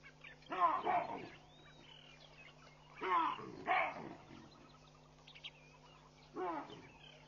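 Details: Baboon troop racing away in alarm at Pete's Pond, Mashatu Game Reserve, Botswana, on a Sunday morning, 16 June 2013, scattering in the background. Loud harsh barks come singly and in a quick pair, separated by pauses, over a steady low hum.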